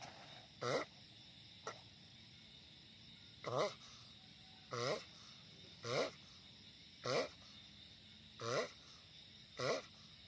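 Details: Loud sulcata tortoise calls: seven or eight brief, hoarse, harmonic grunts spaced one to one and a half seconds apart, with a steady low hiss behind.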